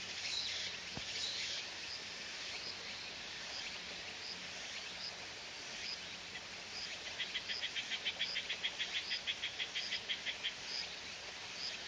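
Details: A Walker's cicada (tsukutsukuboushi) sings on a summer day, a shrill buzz that breaks into fast, evenly repeated rhythmic pulses.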